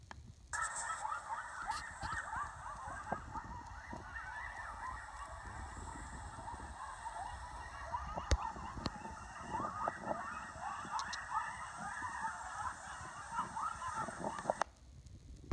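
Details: Local coyotes making a racket after a kill: a dense, continuous chorus of overlapping high, wavering yips and yelps that runs unbroken for about fourteen seconds, then cuts off abruptly.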